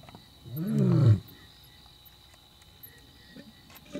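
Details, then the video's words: A male lion roars right next to the safari vehicle during a night safari in Africa, one deep, rumbling roar that swells and then drops away. "Roaring male lion - Pondoro safari"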